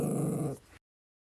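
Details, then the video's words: Pet dog caught 'talking' indoors: a loud, rough, growling grumble with rich low harmonics, held steady for just over half a second, then cut off abruptly to silence. "Dog gets caught talking"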